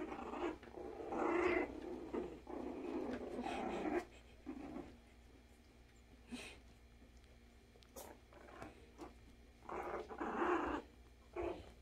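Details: Havanese puppies, including Murphy, Stella and Adam, playing together indoors, giving rough, throaty growls in dense bursts over the first four seconds, then shorter scattered grumbles and scuffles, with a final loud burst near the end.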